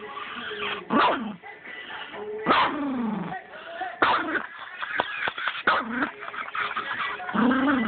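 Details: Chihuahua named Brownie snapping at a remote control as it is moved, giving short yaps and whiny, falling-pitch snarls in bursts every second or two, with a person talking over the dog's noises.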